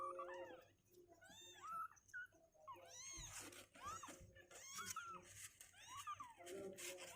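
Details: Kittens two weeks old, now sturdier on their legs and refusing to sit in the box, cry in a dense chorus of overlapping arched meows, several a second, over faint handling noises.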